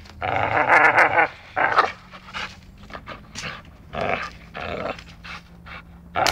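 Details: Playful dachshund mock-fighting and biting, opening with a long throaty growl, then shorter uneven growls and snorting huffs, spaced irregularly over a quiet background.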